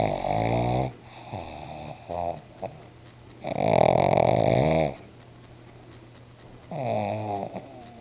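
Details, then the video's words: Snoring from Bruno, a pet pug fast asleep indoors: long loud rattling breaths lasting one to two seconds, harsh and buzzy with a whistled edge, separated by quieter pauses, low hum beneath. "MY FUNNY PUG BRUNO SNORING"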